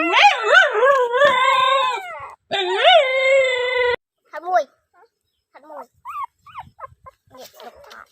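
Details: Dog giving loud, drawn-out whining howls with rising and falling pitch, two long sustained bursts separated by a short gap, then fading into quieter broken whimpers and yelps.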